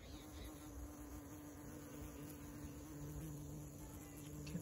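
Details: Honey bees foraging among huge numbers in a field, gathering nectar from flowers, filmed at close range; a steady low droning hum holds throughout, with a faint second tone above it and some background noise.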